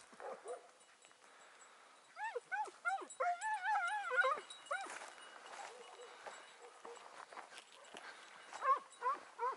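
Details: Hound chasing a hare in the morning; bursts of wavering, yodel-like yelps in fast series, some near, some faint and distant, with quieter gaps between.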